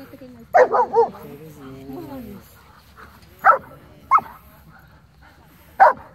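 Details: Dogs, with Pom Pom set against a Border Collie and a Shepherd: a run of high whiny yelps early on, then sharp single barks spaced about a second or two apart, over soft voices and low background hum.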